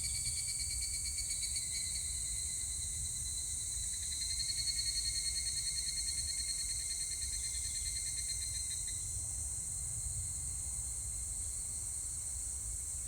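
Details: A higurashi cicada recorded 25 July 2019 sings a fast, evenly pulsed ringing trill for several seconds before it fades out, while a steady high-pitched insect hum continues beneath.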